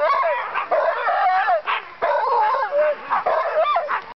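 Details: Dogs at a dogsledding run, several calling at once: excited high yelps, whines and brief rising howls overlap in a steady wavering chorus, with one long rising-falling howl near the end.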